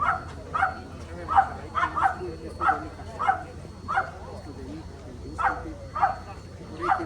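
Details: Romanian Carpathian Shepherd dog giving a fast run of loud, sharp barks, roughly one every half second, in two bursts separated by a short pause, over a steady low hum and faint voices.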